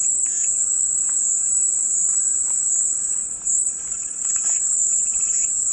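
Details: Cicadas in a calming white-noise recording: a steady, shrill, high-pitched drone that holds unbroken for the whole stretch, with faint scattered chirps and clicks lower down.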